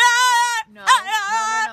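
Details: A French Bulldog gives a drawn-out, childlike crying wail, steady and tonal, then wavering, as it interrupts its owner's conversation.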